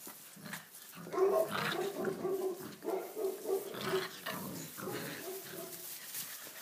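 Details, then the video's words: A litter of six-week-old Tibetan Mastiff puppies let loose to play in a stable for the first time, rain-soaked outdoors; a clear tonal whine with a yappy bark rises above softer grumbles and movement noise. "Tbetan mastiff puppies in our stable"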